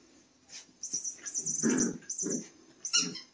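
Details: Playful miniature dachshund giving short grumbling whimpers and huffs in bursts, with a thin, high, steady tone running above them.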